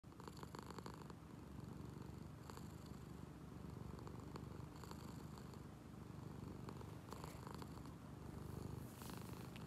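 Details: Angel the cat, awake, making a deep motorboat-like purr that may be snoring or purring: continuous low rumbling throb with faint airy breath noise, steady throughout.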